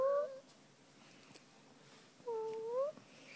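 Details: Fuzzy, a female pet cat, lies indoors enjoying a tummy rub and gives two short tonal mews. The first is brief and level, and the second is a longer, gently bending call about two seconds later, with quiet room background between them.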